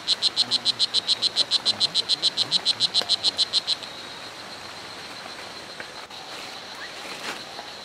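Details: O. pumilio, the strawberry dart frog, in Hitoy Cerere Biological Reserve, Costa Rica, gives a fast series of sharp, high chirps, roughly three to four per second, for nearly four seconds before falling silent, leaving faint forest ambience.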